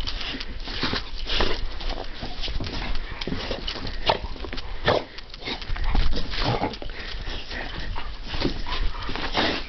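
An American Pit Bull Terrier barks in short, coarse bursts, some close together and some spaced a second or two apart. A constant low rumble runs underneath, with a faint whimpering note in places.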